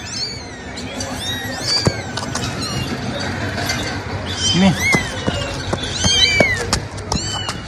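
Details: Kitten called Mimi, trained for 17 days and crawling along with its owner, gives several thin, high-pitched meows that rise and fall. The calls come in scattered bursts over steady background noise with occasional soft knocks.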